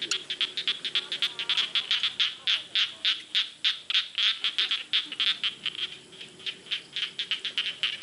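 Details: Frogs in a rice field giving a steady run of sharp, high clicking croaks, about three or four a second, dense and continuous with faint insect-like buzzing beneath.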